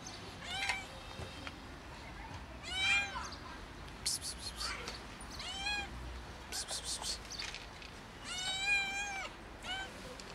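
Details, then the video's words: A kitten tumbling and meowing hard gives a run of thin, high meows that rise then fall, some clipped short and some drawn out. Bursts of hissing psst sounds from a person are heard between them. "Kitten meows hard and tumbles"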